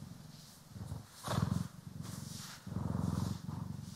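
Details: Domestic cat Poki or Kiwi purring while being groomed and brushed, in stereo; low rumbling purr with two louder swells, rising and falling, plus brushing strokes.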